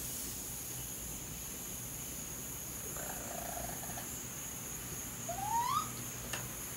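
Young raccoons call for their mother with a soft, wavering whine followed by a brief squeal that sweeps upward in pitch. A steady high insect hiss runs underneath, and a single sharp click sounds near the end.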